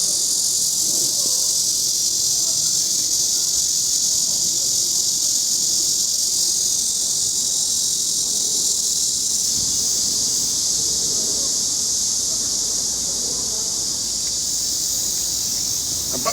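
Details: Cicada calling, a loud continuous high-pitched buzz that holds steady with almost no break for over sixteen seconds, with faint background rustle and a child's voice at the very end.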